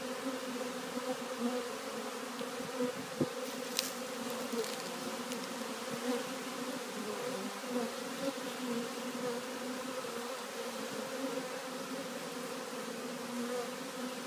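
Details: A mass of honey bees walking into a new hive on 3/7/2013 produces a continuous, steady, low layered drone of many wingbeats, holding an even level throughout, with a few brief clicks and knocks.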